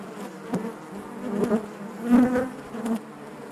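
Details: Short stretch of honey bees buzzing in the hive: a low harmonic hum punctuated by several brief louder buzzes and clicks as bees move close by.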